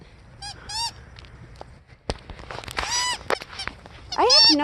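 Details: Aurora, a female Siberian Husky excited to play in heavy snow, makes repeated high, wavering, yodel-like whines, longer drawn-out calls mid-way, and a loud swooping call at the end, mixed with a person's voice.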